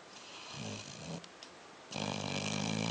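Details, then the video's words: Sleeping dog snoring indoors: soft, faint breathing rasps at first, then a loud harsh buzzing snore begins near the end and continues steadily. "Snoring Dog - End of a perfect day"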